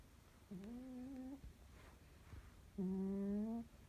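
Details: A sleeping dog snores with two drawn-out, voiced, whining breaths that hold a steady low tone with clear overtones, separated by quiet pauses in a still indoor room.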